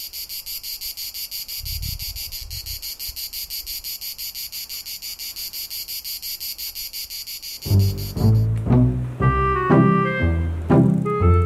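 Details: A cicada on a hide window by a Mediterranean vulture feeding site near Zaragoza, early August afternoon, sings a continuous high-pitched buzz throbbing in regular pulses about twice a second; after several seconds, music with deep bass and bright melodic notes takes over.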